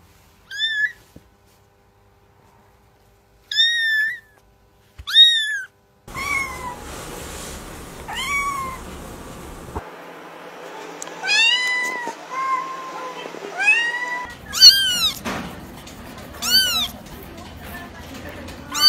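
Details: Sharp, high kitten meows: three isolated squeaks first, then a steadier run of arched meows, some quick and some drawn out, with light rustling and a low background hum between calls.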